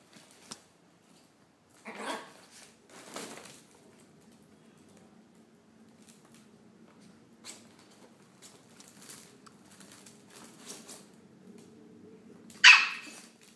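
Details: A 9-month-old Chihuahua puppy, playing hyperactively indoors, gives a few sharp, high yaps amid soft rustling as he playfully picks on a cream Scottish Fold cat; they get along fine.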